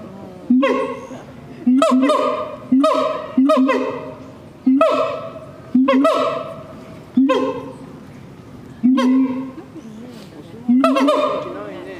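A siamang gives loud, rich, honking calls that swoop upward, repeated about once a second.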